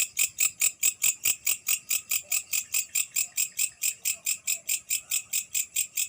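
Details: At night a grasshopper sings a steady series of high, raspy pulses, roughly five per second, evenly spaced and unchanging, over quiet faint background noise.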